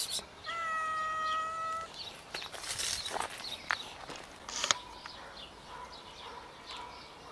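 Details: One of four scared homeless cats being fed outdoors gives a single clear, level meow lasting over a second, followed by clattering, rustling and scraping noises.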